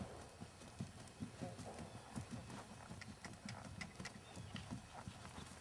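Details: Jerry, a keg-shod, natural-moving six-year-old 3-gait Tennessee Walking Horse gelding with show and trail experience, makes soft, rhythmic low hoof thuds in an uneven four-beat pattern, with faint high ticks above.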